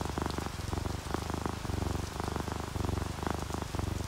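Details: Relaxed domestic cats, an orange tabby and a calico, asleep and purring: deep throbbing purr in even cycles roughly twice a second, with soft rain and drips running beneath it.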